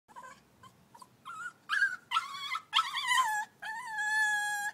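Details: Staffordshire Bull Terrier puppy crying while learning to walk down stairs: short high whimpers, then longer rising and falling whines that become a steady, drawn-out cry at the end.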